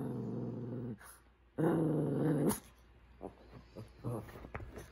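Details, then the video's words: Male pet Shih Tzu indoors, vocalising as if trying to talk to his owner: two low, rumbling growl-like sounds of about a second each, separated by a short pause, followed by quieter faint rustling. "shih tzu talking"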